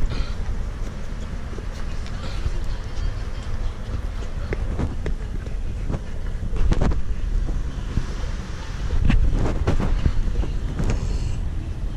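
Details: Strong wind buffeting and low rumble fill the recording, with scattered handling knocks and no animal voice.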